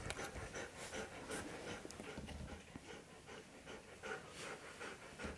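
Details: Siberian Husky panting after looking tired, a rapid soft breathy rhythm of about two and a half breaths per second, with a person speaking softly nearby.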